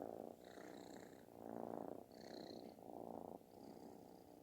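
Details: Loud snoring-style purr from a kitten asking for affection; coarse vibrating rumble in three or four long swells over a few seconds, breaks between breaths clearly audible.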